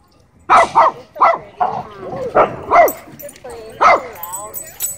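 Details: At a dog park during a chase, loud, ringing barks come in irregular bursts, some doubled, with rising and falling tones between them and human voices audible alongside.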